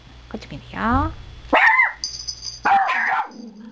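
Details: Toy poodle barking indoors during a failed roll-over trick: two or three sharp, high barks with a whine-like sliding sound before them, between bits of a person's speech.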